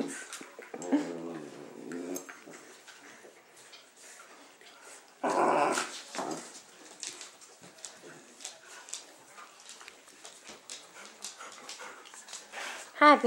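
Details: A 12-week-old golden retriever/German Shepherd mix puppy in foster care in Troy, Illinois, playing with his pals indoors; high whimpering whines come in short bursts and a louder squeal, with a woman's voice speaking softly over the puppies.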